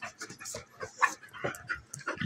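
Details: A German Shepherd puppy of almost a year and a half-Golden Retriever female play fighting at home; panting breaths mixed with brief growls and whimpers, scuffling between them.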